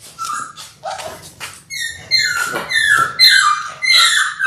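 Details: Six-week-old Labrador Retriever puppies from a litter of six born January 18, 2022, filmed indoors on February 28: high, squeaky whimpers that rise and fall, coming in quick irregular bursts and growing louder and more overlapping toward the end.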